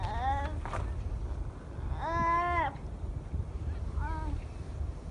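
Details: Young newly born seal pup at Donna Nook crying for its mother: three nasal, plaintive wails, a short one, a longer arched one near the middle, then a brief softer one, against a low wind rumble.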